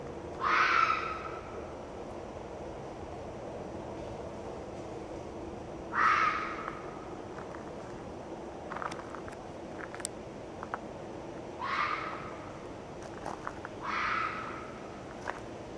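A red fox vixen gives harsh, hoarse screams, each under a second, spaced several seconds apart.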